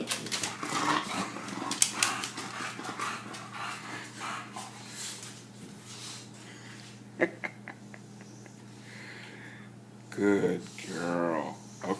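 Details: Female English Bulldog, indoors, excited during her daily sponge cleaning, gives short whimpering, grumbling whines near the end, among rustling and handling noises, with a woman talking to her throughout.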